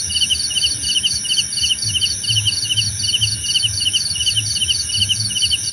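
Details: Cricket calls for sleep and easing tension, trilled chirp bursts repeating a little over once per second, several insects overlapping, a sustained shrill drone and soft low thumps underneath.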